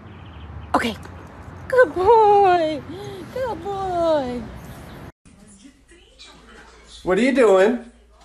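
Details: Dogs playing and fooling around, giving high sliding whines and yelps with strong harmonics: a sharp rising yip, a quick run of wavering falling cries, a short lull, then one final loud whine.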